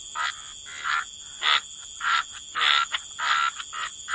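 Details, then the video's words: Frog croaks at the waterside: short raspy bursts about every half second, some with a brief whistled edge, separated by quiet gaps over a constant high insect drone. "Frog Lullaby: Relax to the Sound of Croaking Frogs"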